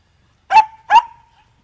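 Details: Two quick high barks from Andy, a Dachshund busy digging and covered in mud, each bark ending in a short thin whine.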